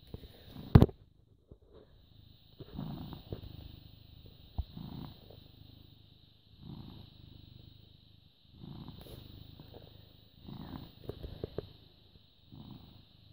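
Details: Purring British Shorthair cat, born 18 August 2010, filmed the morning of 14 May 2017: a deep, throbbing rumble rising and falling in rhythmic pulses about every one to two seconds, with a sharp click near the start and a constant thin high tone.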